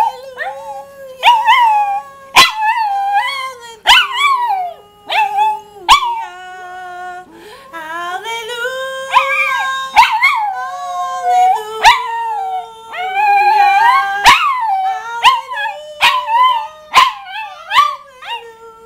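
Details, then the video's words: Singing Rat Terrier named Romeo giving a long run of wavering, tonal howls that rise and fall in short phrases, broken by brief sharp clicks, with a sustained lower note in between. "Singing Rat Terrier"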